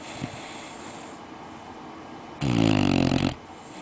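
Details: Pit Bull puppy Lucifer, a red-nose dog asleep in his bed after playing outdoors, lets out a single loud, low rattling snore of about a second after quiet breathing, with a faint high hiss early on.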